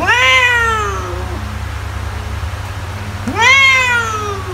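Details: A house cat utters two bright meows that rise sharply and then slide downward, the second after a gap of about two seconds, with a faint background hum.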